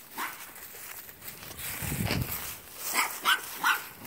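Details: Mink, a playful male wire-haired Portuguese Podengo Pequeno puppy aged four months. A few faint barks, a low rumbling noise, then three quick, high, sharp yips close together near the end.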